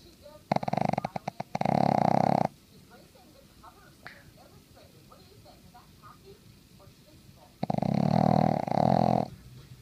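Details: A Boston Terrier, asleep on a Sunday morning beside its owner watching TV, snores loudly with two long, rattling rasps about six seconds apart.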